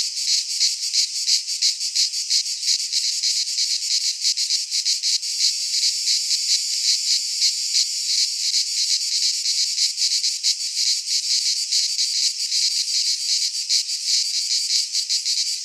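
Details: Cicadas singing in midsummer among pines in Greece, producing a continuous piercing buzz with rapid throbbing pulses, about three per second, steady throughout.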